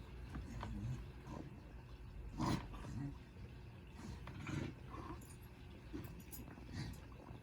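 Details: Willow, a very relaxed, overweight female dog, snores while asleep: low rumbling breaths repeating roughly every two seconds, with a louder snort near the middle, over a steady low hum.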